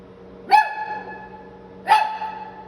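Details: A pair of clear, high barks from a Shih Tzu puppy, San Antonio, Texas, spaced roughly 1.4 seconds apart inside a small room, a faint steady hum underneath.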